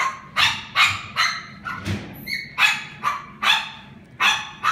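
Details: Pekingese dog at a pet shop in Japan barking in a steady run of about nine sharp, bright barks roughly every half second, with a brief higher whine-like squeak in the middle and low background hum.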